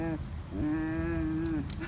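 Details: A pet Bluetick Coonhound bays while rolling on the ground after swimming in a pool. It gives a short opening note, then one long, steady, low howl of about a second, with people's voices nearby.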